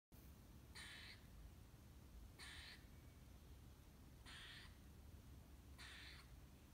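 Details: Squirrel calling: four short, harsh, noisy bursts spaced about one and a half to two seconds apart, faint against a steady low rumble.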